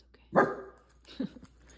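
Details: Male miniature dachshund defending his territory against intruders gives one abrupt, loud bark, followed by a brief soft huff, as a person calmly reassures him.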